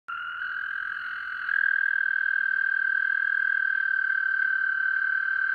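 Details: A pet American toad, soon to be released into the wild, gives a long, steady musical trill that holds one pitch throughout.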